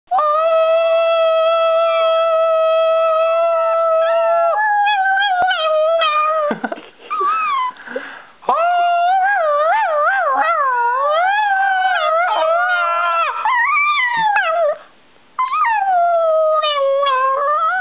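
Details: A pet dog making strange noises: first a long, steady, loud howled tone, then wavering, yodel-like howls that bend up and down, with short breaks between them.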